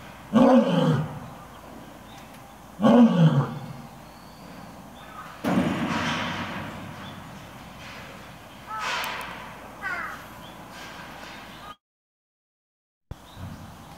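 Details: Lions at Nonhoi Park (Toyohashi Zoo) in a roaring contest as one lion leaves exchange deep, booming roars: two powerful bursts followed by fainter grunting roars.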